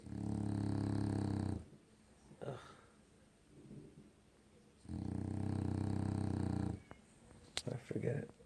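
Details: Dog named Loki, dead asleep, snores in long, deep, vibrating breaths: two drawn-out rumbling snores with a pause between, while a person speaks softly and a couple of clicks sound near the end.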